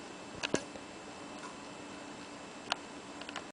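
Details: A quiet indoor room with faint steady hiss and a few sharp ticking clicks.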